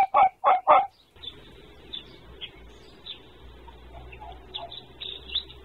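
A red fox gives three quick, harsh yapping barks, then falls silent while faint birdsong continues.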